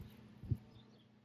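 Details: In a backyard turtle pond, frogs the owner thinks are all wild Northern green frogs give a single low, abrupt twanging note like a plucked loose banjo string.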